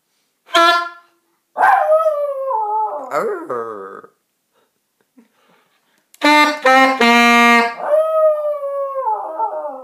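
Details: A Yorkshire Terrier howls in wavering, sliding tones along with a misplayed saxophone's sustained notes.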